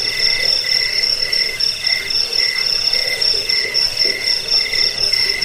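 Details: Crickets in a rat-repelling, sleep-inducing recording also used to train songbirds. A sustained high trill carries on over steady pulsed chirps, with a soft rumbling background.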